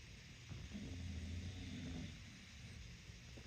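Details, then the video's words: Sleeping bulldog in New York City snoring: one long, low rumbling breath swells for about a second and a half, then fades to quiet room noise. "Snore fest"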